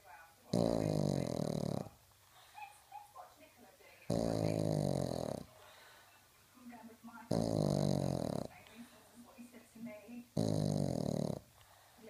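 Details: Miniature beagle asleep indoors, snoring very loudly: four long rasping snores roughly every three seconds, with soft whimpering and muffled noises between them as it starts to dream.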